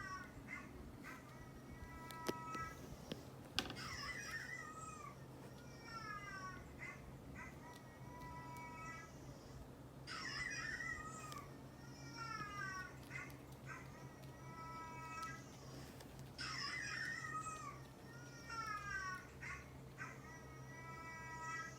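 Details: Domestic cats, a neutered two-year-old orange tabby male and a neutered male brown tabby of about three, react to a dog's barking; repeated harmonic meows with falling tones recur in bursts, over a steady low hum and faint background chatter.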